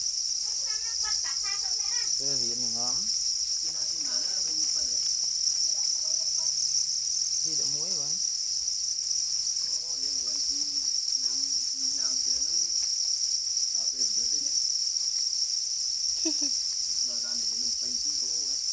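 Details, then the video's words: Black cricket (para cricket), described as crying angrily over its eggs; an unbroken, even, shrill trill dominates, overlaid by frequent bursts of human speech. "Black crickets or para crickets are crying angrily for their eggs"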